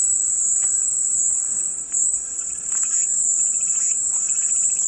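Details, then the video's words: Cicada chorus heard as relaxing white noise, a constant high sizzling buzz with a slight drop in volume near the middle and soft scattered ticks underneath. "백색소음 마음이 평온해지는 매미소리"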